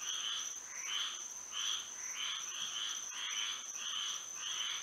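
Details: Florida frogs singing at night in moonlight, short buzzy croaks pulsing close to twice a second from several callers, backed by a continuous shrill steady tone.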